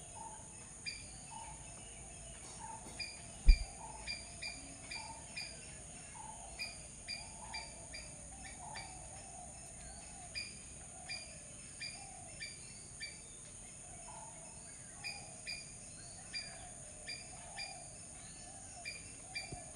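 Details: Repeated short chipping calls from a squirrel, steady and unhurried through the whole stretch, with faint lower notes, one sharp knock early on, and a continuous high-pitched insect hum behind.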